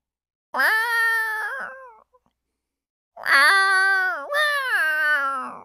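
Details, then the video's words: Pet cat wanting to be pampered, giving long drawn-out harmonic meows: one wavering cry, a pause, then two more in quick succession, the second breaking with a short catch before trailing off; the room is otherwise quiet. "kucing suka dimanja"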